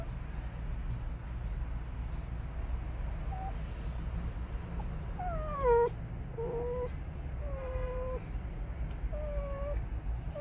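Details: Harley, a female dachshund, waits in a car at a Sonic drive-thru, letting out thin high whines that slide downward, one louder than the rest, over a steady low engine rumble.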